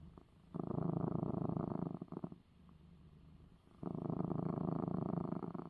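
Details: Cat purring after receiving his eye medicine; low vibrating rumble in two long loud stretches, with a fainter purr between them as the breath changes.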